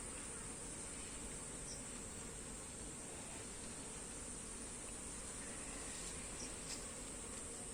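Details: Buzzing honey bees during the shifting of comb frames into a new box; an unbroken, grainy hum with a persistent shrill high tone and scattered faint ticks.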